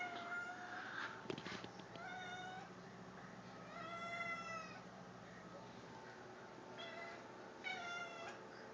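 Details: Male pet cat making strange noises: drawn-out, wavering tonal calls with rich overtones, rising then falling, at about four, seven and nearly eight seconds, with faint clicks and a low room hum between.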